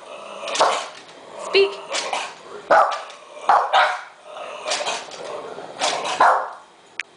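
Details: A pug that leaps or lifts its hind legs whenever it barks gives short, husky barks in a loose series, with a person's voice in between.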